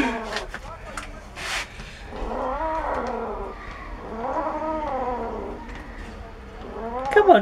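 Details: A domestic cat growling while eating bones: two long, drawn-out moaning growls that rise and fall, each lasting over a second, with softer sounds between them and a brief sharper cry at the end.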